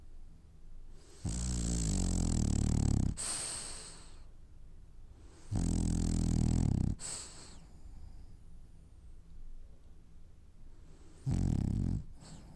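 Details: Sleeping French Bulldog, dreaming, lets out three deep, vibrating snores about four to six seconds apart, each roughly one to two seconds long and ending in a sharp breathy hiss, with quiet breathing between them.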